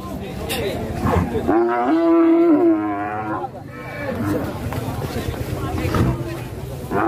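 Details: Rampaging, escaped fat cow lows once: a drawn-out, level, resonant moo of about two seconds, with background chatter and crowd noise.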